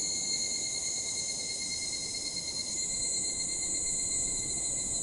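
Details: Dusk chorus of evening cicadas: an unbroken shrill whine high in pitch, layered with steady thinner tones, the top band brightening partway through, set against a faint low background hum.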